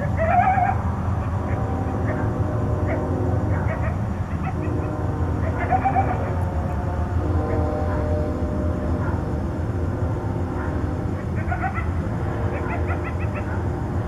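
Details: Coyotes at night in Tucson trade contact calls, bursts of high yips and quavering, hyena-like yelps over a steady low rumble.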